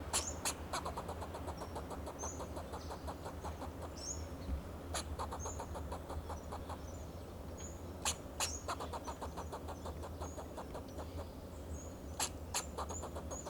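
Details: Fox squirrel on a Monterey pine in Del Monte Forest, California, giving alarm calls to protect itself and its territory: bursts of rapid, sharp chucking pulses recur throughout, with faint high chirps and a steady low hum behind.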